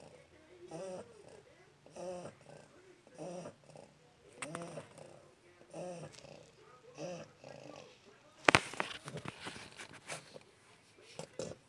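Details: A one-month-old Shar Pei puppy snoring, soft rhythmic breathy snores repeating about every second and a quarter, then a sharp knock near the end followed by rustling handling noise.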